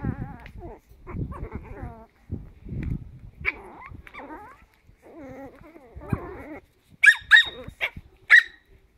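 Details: Chihuahua puppies, 10 weeks old, playing together: bursts of harmonic yips and whiny growls separated by short pauses, ending with a few sharp, high squeaky yelps.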